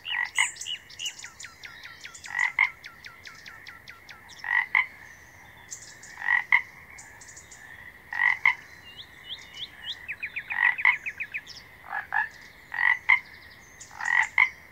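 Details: Frog calling in repeated short pulsed croaks in bursts about every two seconds, with brief whistled chirps and a fast trill between them.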